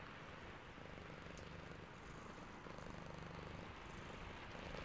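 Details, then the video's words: A drowsy cat purrs through rainfall, its deep, rhythmic rumble beating a few times each second and growing slightly louder toward the end, with the steady wash of rain behind it. "Sleepy Cat + Purring and Rain Sounds ASMR"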